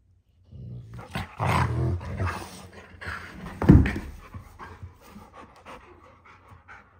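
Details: Dogs panting during rough play between Teo, a German Shepherd, and his two 14-month-old pitbull nephews, Ronan and Joaquin, who now outweigh him; breathy bursts with a louder huff near the middle and low thumps of movement.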